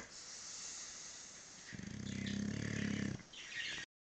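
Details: English bulldog napping, giving one low, buzzy, rattling snore that swells for about a second and a half mid-clip, set against a steady broadband hiss before and after.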